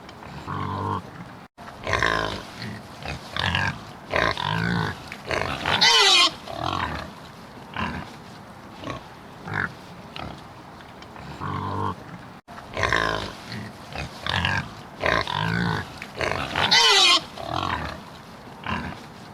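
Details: Pig oinking with a string of nasal grunts and a single sharp squeal; the same sequence of grunts and squeal plays twice in succession, separated by a brief silent gap.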